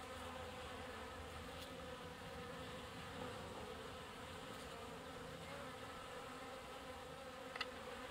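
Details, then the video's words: Honey bees collecting water at a drinking spot, pumping water: a steady many-bee hum with a drone band near 500, clear harmonics above, constant loudness throughout, and a brief sharp click near the end. "Abeilles : les porteuses d'eau en plein pompage"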